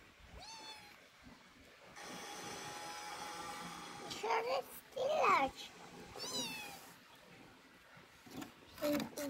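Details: Two kittens playing together give high, thin meows, several separate calls over about nine seconds, one bending up then down in pitch, with a steady background hiss and some soft handling noises.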